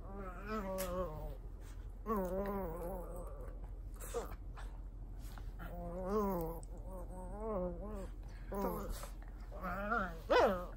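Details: Cavalier King Charles Spaniel at home in Japan during a nightly bedtime ritual, persistent before sleep: drawn-out, harmonic whines and moaning cries in repeated bursts of about a second, wavering in pitch, with a sharper yelp near the end.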